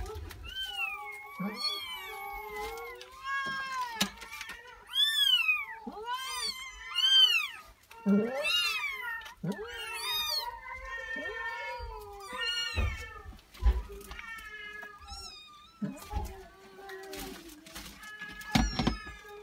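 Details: Persian cat with four newborn kittens: a dense run of high, arching mews, rising then falling, overlapping and repeating every second or so, some thin and squeaky, with soft rustling and handling knocks beneath.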